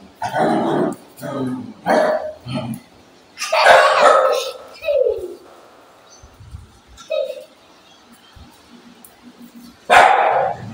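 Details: Agitated dog, described as angry, lets out short gruff barks in uneven groups, with a long pause before one final loud bark, and people speaking in the background.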